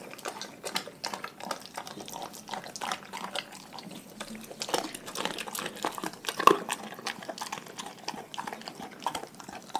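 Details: Pack dogs eating raw food. Rapid, wet, clicking chews and smacks run throughout, with a sharp snap partway through.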